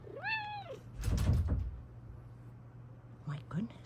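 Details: Indoors, a female Bengal cat gives one rising-then-falling meow, followed by a loud thudding knock and a brief human voice near the end.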